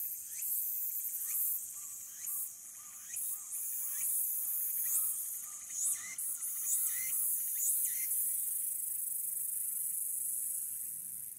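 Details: Walker's cicada singing in late summer on 22 August 2022, recorded by smartphone from the observation deck of Aburayama Kannon, Aburayama, Fukuoka City, Japan: a dense shrill high buzz with rhythmic phrases repeating about once per second, each carrying a short rising sweep.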